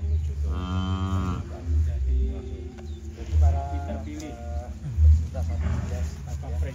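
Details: Large black sacrificial bull, champion of a Kemayoran contest, lowing while being unloaded before transport to Istiqlal Mosque in Jakarta; two long deep harmonic moos, the first near one second, the second shorter, over low rumbling background and faint voices.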